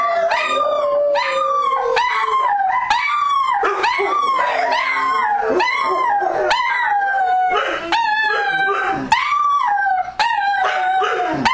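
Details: Dogs howling in chorus during the night: several overlapping, quavering cries rise and fall in rapid loops, punctuated by clipped barks about once a second, with no pause in the dense pack noise.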